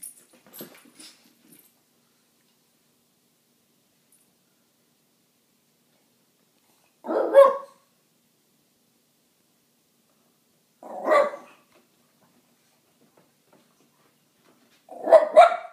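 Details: French bulldog female claiming her territory while playing among three French bulldogs, protecting her spot; three sharp, separate barks spaced about four seconds apart, with faint shuffling at the start and silence between.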